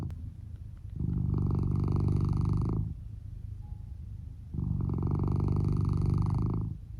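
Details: Male Norwegian Forest Cat Lou, red tabby and white, sleeping deeply under a futon, with amplified volume. Two long, loud, deep buzzing rumbles, each near two seconds, separated by a quieter breathy pause.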